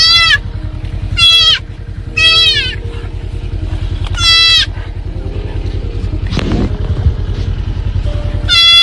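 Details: Scared baby deer bleating while a pet dog swims across a river to rescue it from drowning: about five short, very high, squealing bleats with falling harmonics, spaced irregularly over nine seconds, over a steady low engine-like hum.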